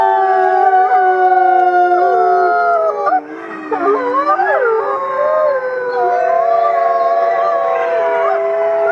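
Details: Wolf pack of about fifty voices howling together: many long, smooth, overlapping tones that slide up and down and cross one another, forming a dense, sustained, wavering chorus.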